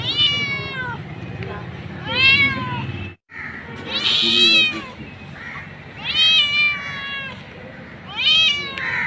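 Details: Mother street cat meowing for her kittens: bright, arching meows rich in overtones, roughly one every two seconds, with a brief dropout near the middle and faint low hum beneath.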